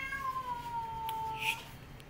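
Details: Mother cat protecting her kittens from a white cat gives a single drawn-out meow, a steady tonal wail that sags slightly in pitch over about a second and a half, with faint clicks and room noise behind.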